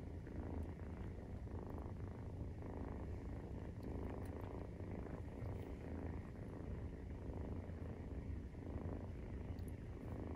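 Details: Nursing Maine Coon kitten at 43 days of age gives a long, unbroken low purr, a pulsing rumble with soft scattered ticks above it.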